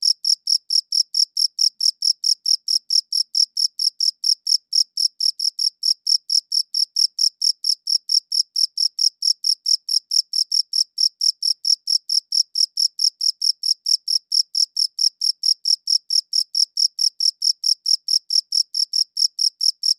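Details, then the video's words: Chirping crickets recorded with a good audio recorder: a long, unbroken series of shrill, even pulses, roughly four each second, against a silent background. "Cricket Chirping Sounds"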